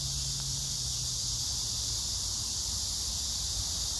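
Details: Cicadas and grass insects at Hwarang Park by the Gyeonggi Museum of Art, Gyeonggi Province, 9 August 2024, under pink crape myrtle flowers. An even, high, sizzling drone runs without breaks; a low steady tone fades after the first seconds.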